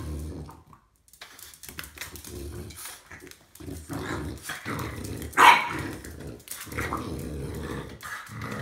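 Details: A snorty French Bulldog attacking a broom during sweeping lets out one loud, sharp bark amid rumbling growls and snorts, with scraping and shuffling noises underneath throughout.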